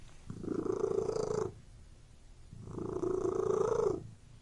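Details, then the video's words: Domestic cat purring indoors in a room: two long, steady rumbling purr phrases, each over a second, separated by a quiet breath-like pause, close and clear with no other sounds. "Purring Cat in Room"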